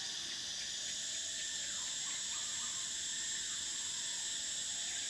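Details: Cicadas singing in summer, a constant piercing buzz in layered high tones, with faint lower chirps flickering underneath in the middle.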